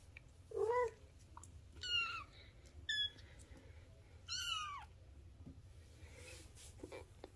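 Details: Bengal kittens at three weeks old, a litter born in fall 2021, indoors: several thin, high mews, some rising then falling, scattered over the clip with quiet gaps.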